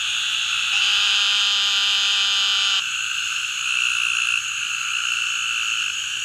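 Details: A male Eastern narrow-mouthed toad calling in the Atchafalaya Basin, south-central Louisiana, on 27 July 2013 gives a nasal, buzzy bleat about two seconds long over a steady high chorus. Two other individuals are very close by.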